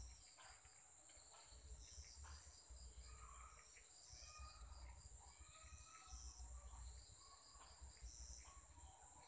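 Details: Insects in Sri Lanka at 7 pm: a steady, unbroken, high-pitched ringing drone fills the evening, with scattered faint bird notes and a low background rumble.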